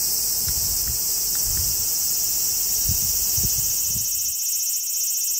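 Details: Cicadas singing in forest under the Yoro Mountains on the Tokai Nature Trail in Japan: a continuous shrill high buzz, with walking steps for about four seconds and then a quieter stretch where only the drone remains.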